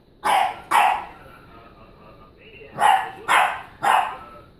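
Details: A French bulldog barks at a stuffed donkey toy: short, sharp barks in two quick bursts, a pause, then three more.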